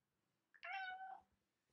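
A Norwegian Forest Cat lets out one short, tonal meow lasting about half a second, its pitch climbing and then sliding down. A quick little chirp comes just before the main call in an otherwise quiet room.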